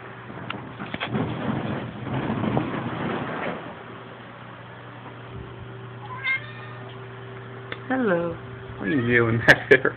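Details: Indoor domestic cat meowing at a television for no clear reason. A man's voice talks over the first few seconds, then a quiet stretch, then several short harmonic meows near the end, each rising then falling, with a steady low hum throughout.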